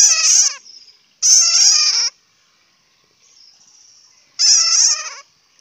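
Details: Grating, trembling bat squeals (suab puav quaj in Hmong) come in three short outbursts about two seconds apart, with a faint high whine in the quiet stretches between.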